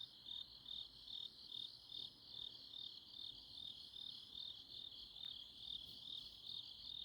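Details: Grass insects on an autumn night in Chuncheon, South Korea: a steady band of high, shrill chirping pulses, repeated about two to three times per second, layered into a continuous chorus with a faint background hiss.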